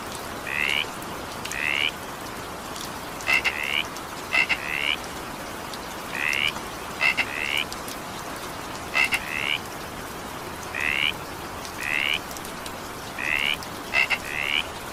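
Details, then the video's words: Several frogs keep up brief grating croaks through evening rain, sounding about once a second, often in twos. Crisp clicking notes sometimes come first, with a soft, even patter of rain throughout. "evening rain sound effect with frog sound"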